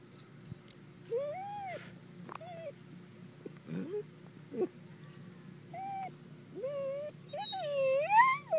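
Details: A dachshund barking: a series of high, tonal whining yelps, each arching up then sliding down, spaced irregularly with quiet gaps, growing louder and more drawn-out near the end.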